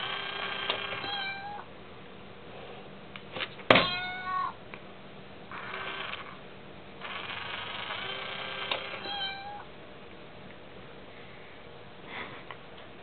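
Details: House cat unsettled by a tiny toy kitty in a coin-bank box, meowing repeatedly: drawn-out, wavering meows, some rising and falling, separated by pauses, with an occasional sharp knock.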